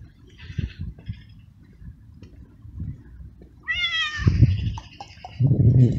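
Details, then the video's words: Homeless male street cat in heat, fed in a garden, calling loudly for a female and for food: one drawn-out harmonic meow sliding downward, followed by low rustling and handling noises. "Street Cat Meowing Loud And Asking For Food"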